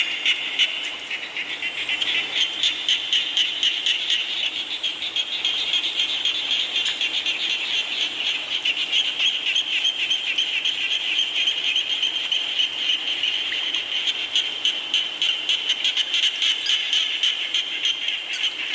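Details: Frogs calling during rain at night: a dense, high, pulsing chorus of rapid notes, about four a second, steady and continuous, over a constant hiss of falling rain.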